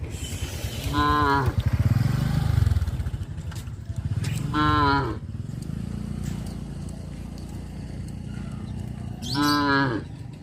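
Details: Cattle on a traditional village farm, travelling along the village road to their pen in the afternoon, give three loud, drawn-out moos, each a rich harmonic bellow lasting about a second.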